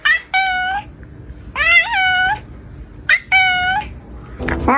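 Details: Cat making strange meows in a small room: three clear, bright meows spaced about a second apart, the middle one bending upward at the start, followed by a short, rougher, rising cry at the end.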